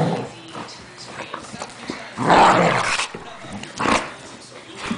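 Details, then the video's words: Pet dog, a female, acting angry at a blanket indoors: rough growling grumbles and a louder harsh bark-like burst midway, with a woman's voice talking and praising nearby. "THE ANGRY BLANKET"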